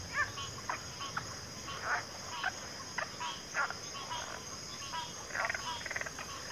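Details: Frogs calling at low volume: scattered short, rasping croaks in uneven bursts, some clustered into quick runs, over a steady high insect-like hiss.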